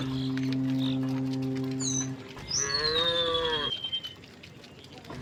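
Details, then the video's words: Cows heading home through a village on a bright morning; a steady humming drone, then a single rising-falling moo, with a thin bird whistle overhead. "the sound of cows mooing"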